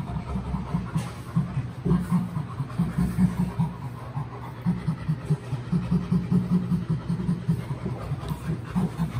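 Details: Chimpanzee named Burrito, nearly recovered from a rattlesnake bite, laughing during play with a friend: soft, breathy, low pants repeated in rapid rhythmic bursts over a steady low mechanical hum.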